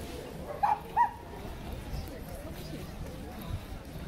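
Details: Yorkshire Terrier named Ruirui at a dog run, shy and not playing with the other dogs; two short high barks about 0.4 seconds apart near the start, then low background murmur with faint distant voices.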